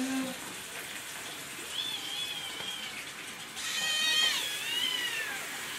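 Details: Young kittens meowing for food in the morning: thin, high, wavering meows, one short and one longer rising-falling cry, over steady household background noise.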